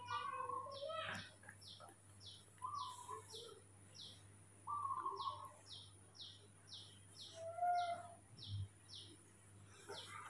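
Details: Spoiled on waking in the morning, young pet monkey Mobi utters short level whistling whines in spaced bursts, one wavering down at the end, while quick high chirps repeat rapidly behind them over a faint hum.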